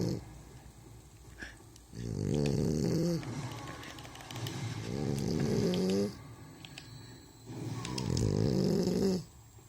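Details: French Bulldog snoring in its sleep as it rubs its muzzle: three long, rattling, wavering snores about two seconds each, separated by quieter breaths, with some faint rustling.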